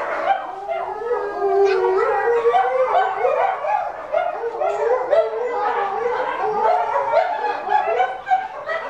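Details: Captive Chinese wolves at Tennoji Zoo: a male pup about six weeks old, the only male of four, howling while his excited mother calls loudly over him; tangled wavering harmonic yowls rise and fall without pause.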